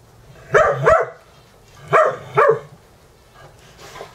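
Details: Dogs Dexter and Mister during a morning wrestling match at a home dog-boarding setting in Valley Village, California, near Universal Studios, with Ecco and Cricket watching; two quick double barks, sharp and mid-pitched, separated by about a second of quiet.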